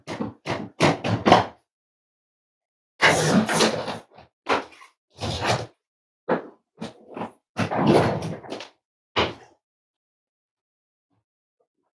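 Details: Short knocks, thuds and a door sliding, with brief bursts of indoor clatter separated by silence and no animal voice.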